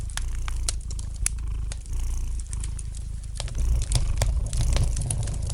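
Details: Domestic cat purring beside a fireplace, a steady low rumble rising and falling with its breathing, overlaid by frequent sharp crackles and pops of burning wood indoors.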